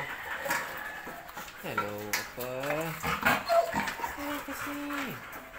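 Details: Bella, a female Belgian Malinois with a bone, gives drawn-out whines that slide down in pitch, several in a row over a few seconds, mixed with clicks and rustling and a voice nearby.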